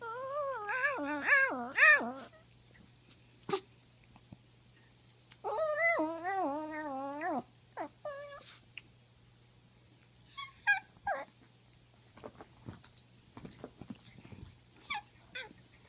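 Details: Killa, a poodle, makes funny noises indoors: bursts of high, wavering, yodel-like whines with pitch swinging up and down, a two-second run at the start and another mid-clip, then shorter whimpers and clicks amid a steady low hum.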